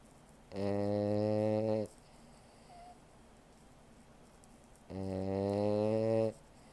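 A French Bulldog snores in long, droning, buzzy breaths, each lasting about a second and a half.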